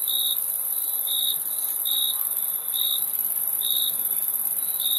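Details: Cricket chirps, short shrill pulses at a steady high pitch, six of them spaced roughly a second apart. A continuous piercing high-pitched hiss runs underneath the whole time.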